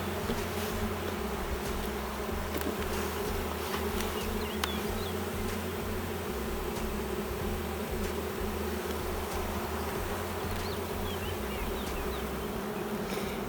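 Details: A honey bee colony with no queen, now a drone-laying hive, few bees left and no brood seen during the inspection. A long unbroken droning buzz holds steady, over a stop-start low rumble, with scattered clicks and faint chirps.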